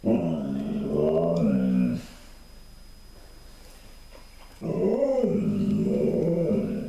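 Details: Pet Alaskan Malamute woofing at its owner: two low, rough, wavering vocal bursts about two seconds each, growly and talkative in tone, separated by a short quiet pause.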